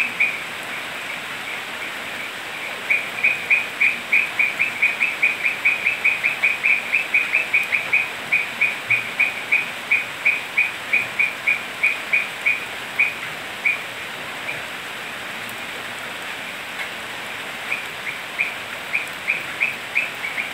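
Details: Toads croaking on a rainy night in Manu National Park, Cusco, Peru: rapid series of high, clicking croaks that rise and fade in bursts over steady rain hiss.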